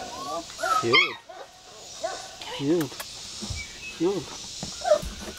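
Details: Six-week-old American Bulldog puppies, a litter with Bubba among them, give high, arching whines and short yelps, four or five rising-then-falling cries spread across the clip, while people chat in the background.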